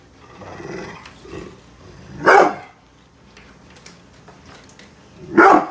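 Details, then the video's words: Protective brindle Pit Bull Bullet, unhappy with construction workers outside the house, growls low and rough before two forceful barks roughly three seconds apart. "brindle pitbull protection dogg !!! scary growling and barking"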